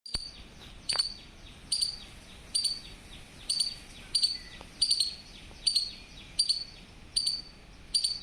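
A squirrel gives sharp, high chirps, repeated steadily a little under once a second.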